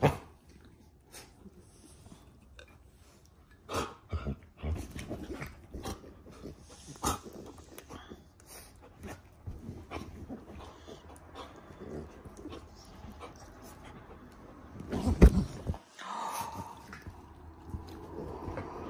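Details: Standard Poodle puppy and a Havanese-mix dog during morning play: low rumbling growls under scuffling, clicking paw and mouth noises and sharp thumps, with a louder, brighter vocal burst near the end.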